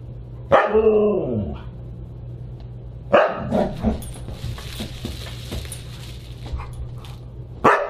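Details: Siberian Huskies at a dinner party on December 29, 2022: a drawn-out howling bark sliding down in pitch, then sharp barks about three seconds apart, with a steady low hum and clatter in the room.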